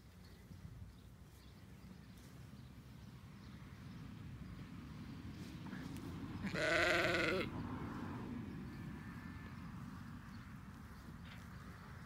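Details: Roxy, a Border Leicester sheep, lets out a single wavering bleat near the middle, under a second long, over a steady low rumble of background noise with faint scattered clicks.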